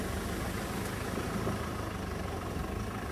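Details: Steady idling vehicle engine rumble with broadband noise throughout; no animal voice.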